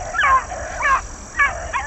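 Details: A rabbit-hunting hound in a pack's first morning run since February tunes up with short, ringing yelps in quick bursts, just warming up.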